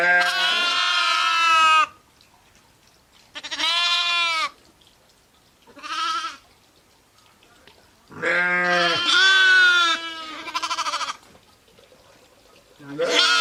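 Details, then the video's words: Ewes and lambs bleating: five separate calls across the recording, loud vibrato bleats alternating with a short softer one, long silent pauses between them. "SOUNDS OF SHEEP AND LAMBS"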